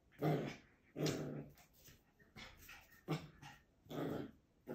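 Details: Urs, a young Schipperke puppy, indoors. Short raspy grumbling growls come in bursts about once a second, with small breathy sounds between them.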